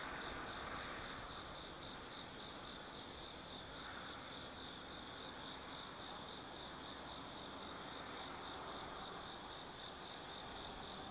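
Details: Autumn insects singing at night in the forest of Tsukimi no Mori, Kaizu, Gifu Prefecture, Japan, near a lookout over the Nobi Plain: a steady high continuous trill with faint pulsing overlapping callers, over soft low rumble.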